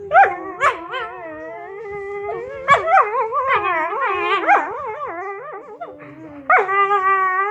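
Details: Two whippets singing together: long wavering howls that slide up and down in overlapping voices, broken by sharp yips and short barks, the chorus swelling and fading and then starting again near the end.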